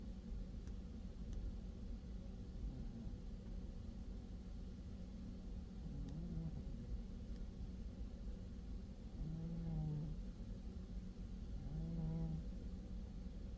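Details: Pet cat named Crookie snoring while asleep: low, droning tonal snores with a few stacked overtones, coming roughly every three seconds with the breaths, over a steady low household rumble.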